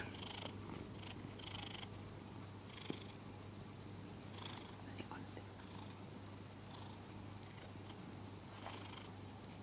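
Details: A pet cat named Kuri purrs while held in arms after letting a scarf be put on, a steady low continuous rumble running throughout, with soft whispered speech and breathy bursts above it.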